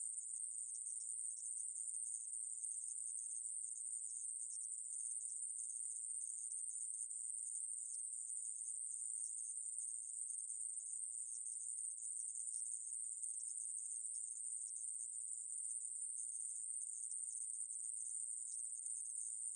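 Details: A steady, sizzling, very high buzz from the conehead katydid 애매부리, from the National Institute of Biological Resources, Korea, 2020, running without pause and with a clean, quiet background.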